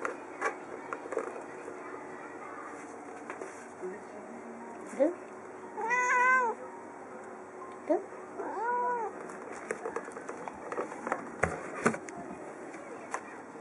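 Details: Pet cat named Yukke, a curious female, meowing to hurry her owner who holds a newly delivered empty box: two clear, rising-falling meows a couple of seconds apart, with rustling, clicks and soft handling noises around them.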